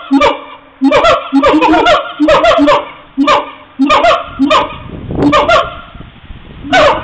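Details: Siamangs on a mobile phone recording, calling almost continuously in loud, overlapping honks and barks, several notes crowded together in fast, uneven bursts.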